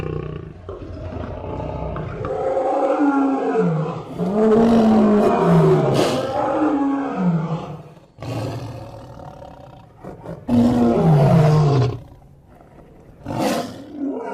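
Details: A lion roars in long, deep, rumbling bursts that rise and then fall away.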